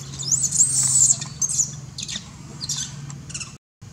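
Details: Big baby monkey crying loudly for milk and grooming from its mother, giving a long thin high-pitched wail that breaks into shorter squeaky cries, over a steady low hum.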